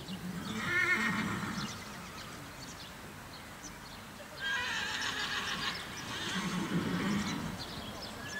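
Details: Whinnies from a prize-winning colt foal by Sir Donnerhall come in two or three bursts about four seconds apart. Each is a shaky, quavering, harmonic-rich call of roughly a second, heard over outdoor background noise.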